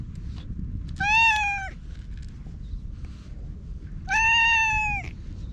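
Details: Orange tabby stray cat, filmed on a GoPro HERO8, that "talks" in cat language while rubbing against a person: two drawn-out, clear, harmonic meows about three seconds apart, each slightly falling at the end, over low background rumble.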